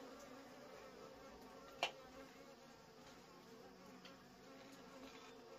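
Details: Honey bees from a wild colony while wild honey is being harvested, giving a continuous low droning buzz with a single sharp knock near the middle.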